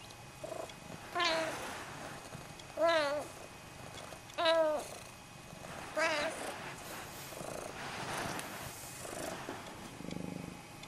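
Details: Pet Snowshoe cats Nevada and Noodles talking: greetings and requests for a fuss, food or a walk. Four loud, wavering meows come about every one and a half seconds, followed by softer, breathier calls and a low murmur.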